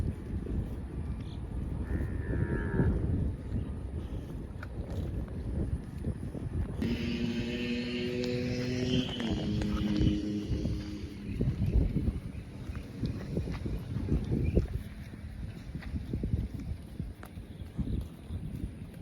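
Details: Cow grazing in a field, giving one long, drawn-out moo lasting about four seconds, its tone wavering and stepping down in pitch, over steady low rumbling background noise and wind.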